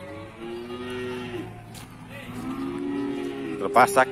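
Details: Cattle being sold at the Pasar Wage livestock market in Bumiayu, Indonesia: two long, low moos, the first fading after about a second, the second swelling and sustained, over background music, ending with sharp knocks.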